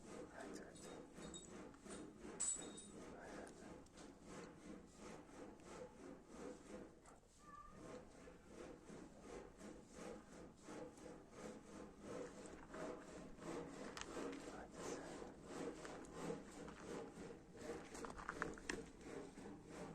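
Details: Domestic cat giving a continuous rough purr, a dense train of fine rasping pulses that rises and falls with breathing, with a brief faint squeak and soft handling noises.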